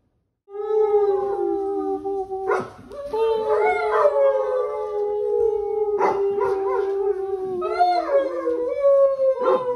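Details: Basset hound howling on a weekend at home: long, steady, tonal howls held near one pitch, broken by short sharp yelps and breaths, then drawn-out cries that waver and dip slightly toward the end.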